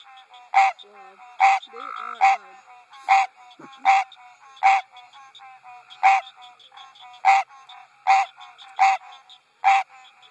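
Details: On a spring night at a water lily farm, a male American green tree frog sits on a lily pad and gives his mating call: loud, nasal, bell-like quonk honks about once a second, with other tree frogs chorusing softly behind.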